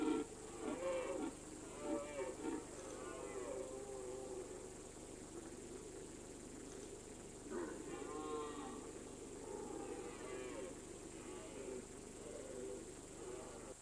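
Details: Red deer roaring in the rut on high mountain pasture, autumn rutting season: groaning, harmonic calls in a bout at the start, then quieter stretch before further drawn-out bellows, all set against constant breezy hiss.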